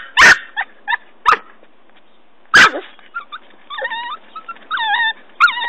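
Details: Ben, a Norfolk Terrier puppy, digs a hole beside a tree; a few sharp barks open, then thin high wavering whines and squeaks follow in short bursts.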